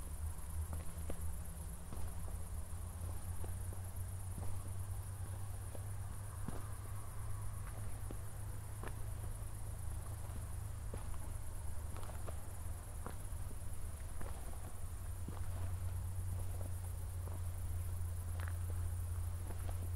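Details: Nighttime crickets near Zwettl, Austria, shortly after a thunderstorm, city lights far off: constant high-pitched pulsed chirping over scattered footsteps and a strong low-frequency hum.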